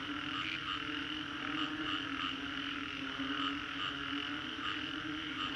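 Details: Post-storm frog chorus in the Green Corridor, Singapore, in 3D sound: unbroken overlapping calls create a constant hum with a low steady tone beneath and repeated short high pulses above.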